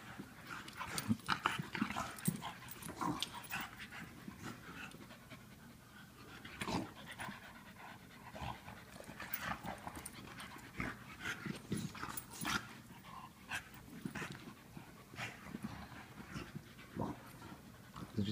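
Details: English Bulldog and Wheaten Terrier at play: steady, quick, rasping panting runs throughout, broken by scuffles, paw taps and sharp knocks, with no voices heard.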